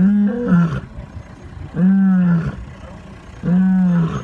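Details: Lions roaring: three loud, deep, harmonic grunting roars, each under a second long, repeated roughly every one and a half to two seconds, with quiet rumbling background between them.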